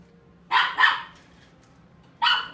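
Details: Pomeranian at the Inu no Ie shop in Kakogawa, giving three sharp, high yapping barks: two quick ones in close succession, a pause of over a second, then a single final bark, against a quiet background.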